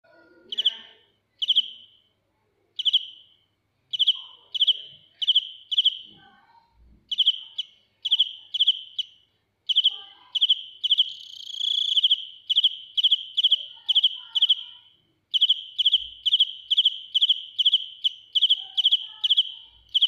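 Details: Field cricket singing loudly, recorded up close: sharp, high chirps of three or four rapid pulses, repeated about twice a second in long runs broken by short silent pauses, with faint scattered lower sounds.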